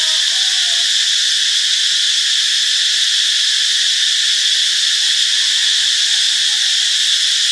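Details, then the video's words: A cicada (Cicadidae) in tropical Ubon Ratchathani, Thailand, recorded on 26 March 2021, gives a steady, high-pitched buzzing drone that holds unbroken at an even loudness throughout. "เสียงจักจั่น (Cicadidae)"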